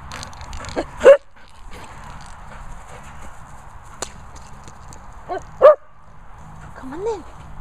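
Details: Dogs asking for food, named as Labradors Honey and Mellow and Cocker Spaniel Albi: two short sharp yelping barks about four seconds apart, then a brief rising-falling whine, over a low rumbling background with faint voices.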